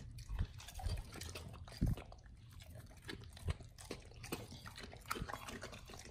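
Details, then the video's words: Dogs eat raw chicken breast and duck feet; soft, thudding bites and moist smacking come in irregular bursts a second or so apart, with deeper low knocks under the chewing. "Dogs eat RAW Chicken Breast+Duck Feet [ASMR]"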